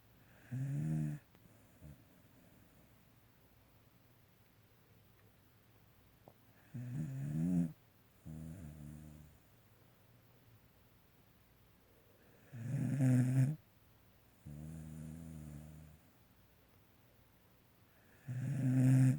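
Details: Pet dog asleep, snoring in low rumbling bursts about every six seconds, each breath a harmonic-rich snore lasting about a second, quiet pauses between, indoors.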